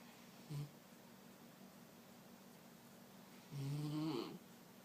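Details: Picasso, a Mexican hairless dog, snoring indoors: a brief low snort, then after a quiet pause a longer raspy snore with a rising, gurgling end, over steady low room hum.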